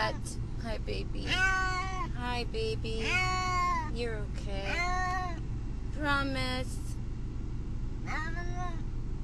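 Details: Cat Brutus the Beefcake, distressed in the car on the way to the vet, utters a run of rising and falling meows, some clustered, with a quieter voice and steady road noise behind.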